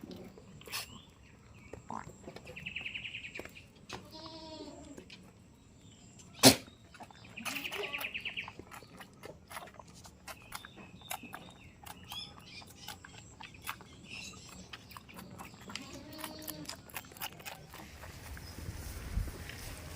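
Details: Farm goats in a village, one said to be the village's most expensive; several wavering, harmonic bleats spaced a few seconds apart, mixed with clicks, knocks, a sharp bang and brief higher chirping sounds.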